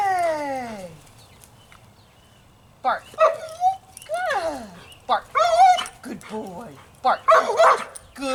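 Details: Young domestic dog, a ready barker, barking on command during trick training: short yelping barks and whiny vocal bursts in a scattered series after a quiet pause, with the trainer's voice giving cues and praise.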